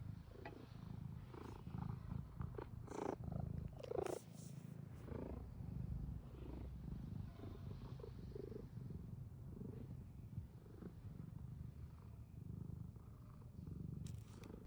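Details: Cat purring in a deep, even, low-pitched drone that pulses gently throughout, with a few short rustles and faint crackles early on and near the end.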